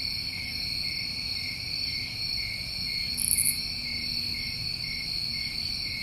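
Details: A dense night chorus of New England summertime crickets, a steady high shimmering trill with no breaks.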